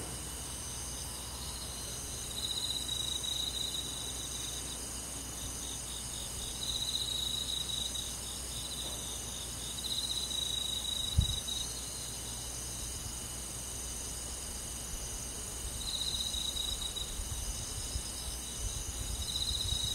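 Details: Night chorus of crickets and forest insects in summer; sustained high-pitched buzzing hiss with rhythmic trilled bursts every few seconds, one sharp click near the middle and a few faint low bumps toward the end.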